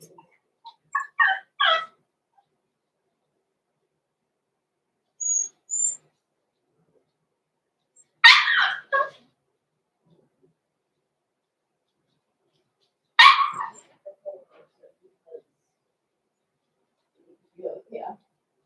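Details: Six-week-old Cavalier King Charles Spaniel puppies, blenheim littermates Roman and Blue, indoors in their pen: scattered bursts of high yapping barks and squeaky yips, clustered at the start and again at irregular intervals several seconds apart, with quiet gaps between.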